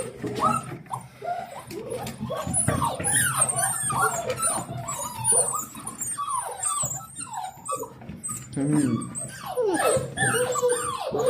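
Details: Seven-week-old Dalmatian puppies greeting their owner home from work with joy: a dense overlapping chorus of high whines, squeals and yips from several pups, with scuffling and a faint voice.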